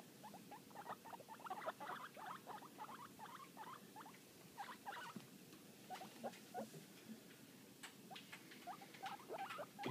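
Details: Two young guinea pig brothers under six weeks old, described as happy and noisy, give rapid bursts of short squeaky chirps, many overlapping notes rising and falling, nearly continuous with brief pauses.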